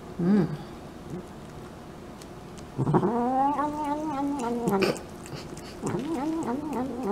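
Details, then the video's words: Cat eating and vocalizing: a short murmur, then a long drawn-out whining moan lasting about two seconds with steady, slightly wavering tones, followed by another rising growly murmur. "CATS EATING NOISES"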